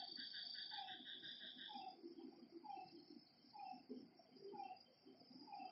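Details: Lakeside frogs calling after dark, each giving a short descending note roughly once a second, while a shrill insect trill fills the first two seconds and a murmur of other night creatures continues below.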